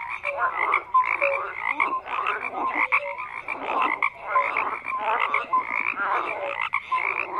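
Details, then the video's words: Croaking frogs in a dense continuous chorus, rasping pulsed calls rising and falling in bursts about once a second, with occasional brief tonal notes. "FROGS CROAKING"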